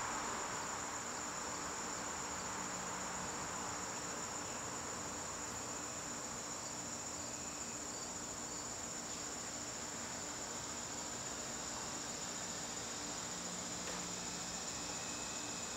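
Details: Steady, piercing trill of crickets in a garden on a September evening, sustained without a break for the whole stretch, over a quiet low hum.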